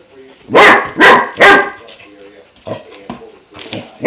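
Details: German Shepherd puppy Klaus, 5 months old, barks at his new water buffalo horn: three loud, evenly spaced barks, then quieter yips and whines, ending on another bark.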